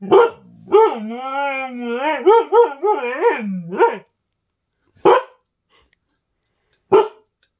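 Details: Agouti husky howling at guests indoors: a long, drawn-out, wavering howl of about three seconds that breaks into yodel-like undulating notes. Two short, sharp bursts of sound follow after pauses.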